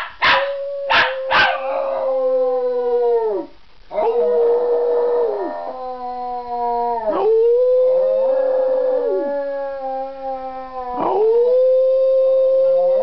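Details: Miniature schnauzer singing for an audience: three quick yelps, then four long sustained howls, each holding a steady tone a few seconds before dropping off, with brief rough bursts between them.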